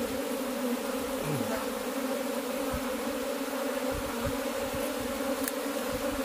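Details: Dense, continuous humming of cultivated honey bees, a steady layered drone with strong low bands and faint clicks or taps beneath.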